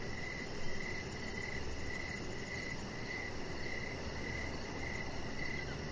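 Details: Evening crickets near a deck chirping in regular short bursts about every half second, a high fine trill overhead and a dense low background hum.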